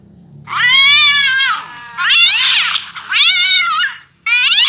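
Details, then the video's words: A cat responding to cat-fight sounds with a series of four loud, strained caterwauls, each about a second long, high and harsh, separated by short pauses. "cat's reaction to hear a cat fight"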